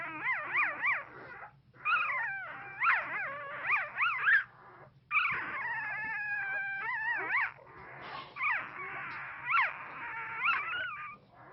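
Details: One-week-old newborn pit bull puppies whimper and squeal in high, wavering, rising-and-falling cries during an intense dream.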